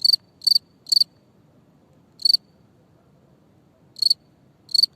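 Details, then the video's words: Cricket giving short high-pitched chirps, some doubled or tripled pulses, spaced irregularly with gaps of up to a second; only a faint low hum beneath. "Сверчок свистит"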